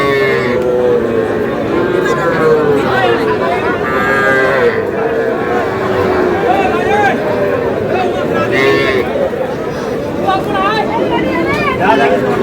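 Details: Several moos from small bull calves at a cattle market in Noakhali, Bangladesh, overlapping and uneven, mixed with a dense background of people talking and haggling.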